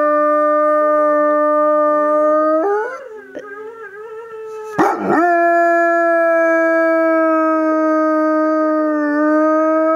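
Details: Pet Dobermann howling in response to a recording of a dog crying, joined by a bichon–shih tzu cross. Long, steady, clear howls hold an even pitch, interrupted midway by a short breathy break before resuming.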